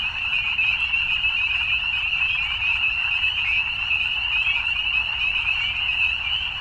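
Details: Many frogs call together in the evening, producing a constant high, buzzing trill with slight rises and falls in pitch, the chorus uninterrupted over a dim low background hum.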